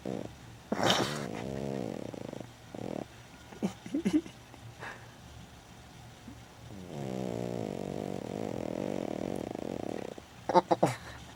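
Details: Pet female dog Lulu sleeping. Short snore bursts and scattered clicks and rustles are followed by one long, steady, rasping snore lasting about three seconds. A few sharp knocks come near the end.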